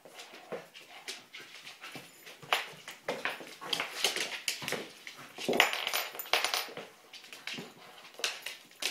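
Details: Kelpie border collie. Kelpie border collie puppies make rapid bursts of sharp, high-pitched yips and squeaky little barks during play. The calls come in quick, irregular runs with small whines in between, in a small indoor room.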